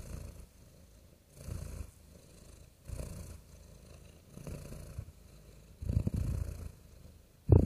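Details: Cat purring steadily in low, rumbling pulses that rise and ease back about every one and a half seconds, softer in between, ending with a sudden louder burst of sound.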